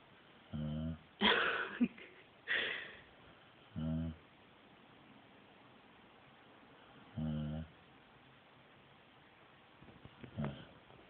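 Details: Pet dog, female, snoring while asleep, like a human: four short, low, buzzy snores spaced roughly three seconds apart, with a few louder breathy, hissing bursts between them.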